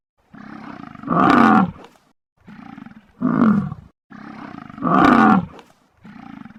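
A bison gives deep, rough bellowing roars, alternating long loud calls with shorter, softer grunts.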